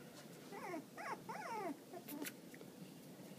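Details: Tibetan Terrier puppies indoors in a small room, one called adventurous; several high whiny whimpers, each sliding downward, come in quick succession, with quiet voices and faint rustling behind.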